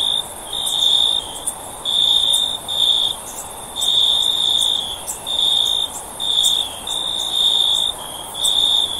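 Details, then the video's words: A cricket's shrill, even-pitched trills arrive in bursts of roughly a second, separated by brief pauses, over a quiet steady hiss with faint higher clicks. "Cricket Sound For Sleep"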